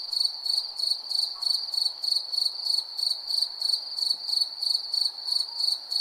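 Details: Cricket at night giving rapid, evenly spaced high chirps, around three per second, with a sustained shrill tone beneath and soft ambient hiss.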